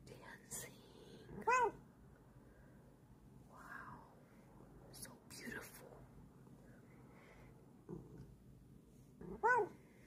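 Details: A female cat lets out brief arched meows near the start and again at the end, each clear and harmonic, with quiet whispering voices and faint rustling in between.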